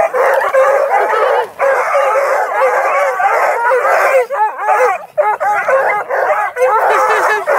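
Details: About two dozen hounds (Bluetick and Redbone Coonhounds, Black and Tans, beagle mixes) at a kennel near Kingston, Ontario bay and bark together in a dense, overlapping chorus of long, wavering howls.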